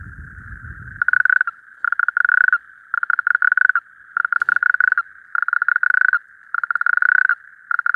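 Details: Calling male natterjack toad at a temporary breeding pool at night: a low rumble at the start, then loud rapid rattling trills in bursts of under a second, about six in eight seconds, over a continuous chorus of distant toads.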